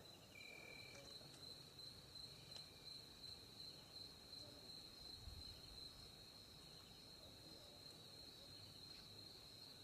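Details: Crickets calling at night in Africa, heard while a hunter waits quietly with a light to catch cane rats; a steady, high, continuous trill runs throughout, over faint rustling and low background noise.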